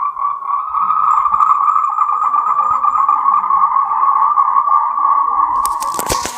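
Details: Endemic to Taiwan, Moltrecht's green tree frogs call to mate in a steady, buzzing chorus of rapid pulses at mid pitch. A harsh burst of broadband noise cuts in during the last second.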